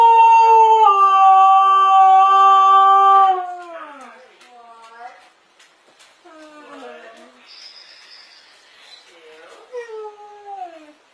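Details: Dogs arguing: a loud, steady, tonal howl held for about three seconds, then sliding downward into a string of quieter, broken whines and yelps with falling pitch.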